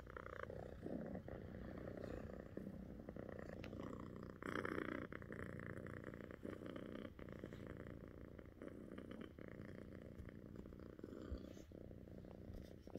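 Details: Two pet cats, Echo and Pip, cuddling together and purring: a steady low rumbling purr runs through the whole stretch, with soft rustling and brief louder bursts of handling noise.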